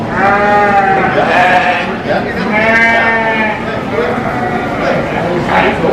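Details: Sheep at the 2023 Royal Agricultural Winter Fair in Toronto, during the North Country Cheviot breeding sheep show, bleat in wavering, quavering cries that overlap, with people talking nearby.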